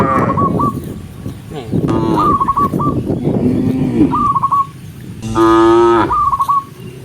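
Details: A herd of tame cows moving along a countryside path toward home at sunset; low grumbling moos and rumbling calls give way to one loud, steady moo near the end, with quick chirpy trills scattered throughout.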